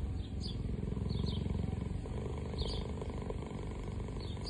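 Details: A cheetah (Acinonyx jubatus) purrs in a steady, deep rumble with a fast, throbbing pulse.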